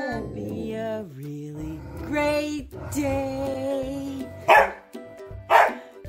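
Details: An Alaskan Malamute and a Husky howl together in the morning as a person sings them a good-morning song, long wavering tones sliding up and down alongside the singing.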